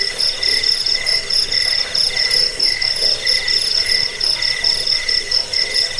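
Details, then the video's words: Cricket chorus for repelling rats, easing sleep and tutoring birds. A shrill pulsing trill holds steady, joined by a lower rhythmic chirp that swells and fades about once a second. "Suara jangkik pengusir tikus pengantar tidur"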